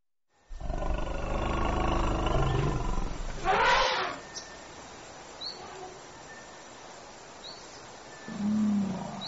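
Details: African elephant giving a loud, harsh, roaring call lasting about three seconds, rich in low tones, that ends in a brighter burst; a quieter low rumble follows near the end over steady background hiss.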